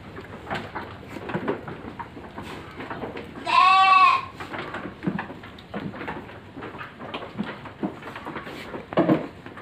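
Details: Farmed goats a few days from harvest, raised on fermented feed, give one loud, wavering bleat lasting under a second, with rich stacked harmonics. Shuffling, clattering pen noises and soft background chatter continue throughout.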